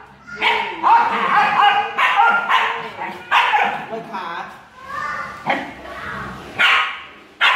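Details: A jealous Siberian Husky girl complains in a string of short, harmonic, talking-like yowls and barky bursts, about six separate outbursts with brief pauses between them.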